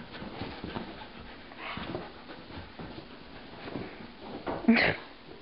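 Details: Two dogs, Cassie and Rylee, playing tug with an old rope indoors; soft rhythmic breathy panting with scuffles, ending in a brief sharp louder burst near the end.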